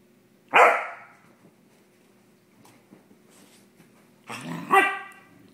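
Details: Cardigan Welsh Corgi, male, in a super playful mood at night while going after his tail: one sharp loud bark, then a second, longer harmonic bark-growl about four seconds later, with faint rustling between.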